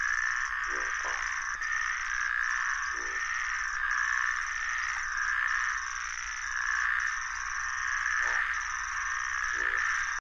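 Groove-crowned bullfrogs give short, low pulsed croaks over a steady high trilling chorus of puddle frogs.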